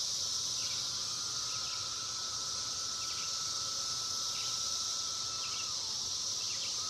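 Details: Huge numbers of cicadas singing in woods: a continuous dense high buzzing drone, steady in loudness, with a faint thin whine underneath and a few soft chirps.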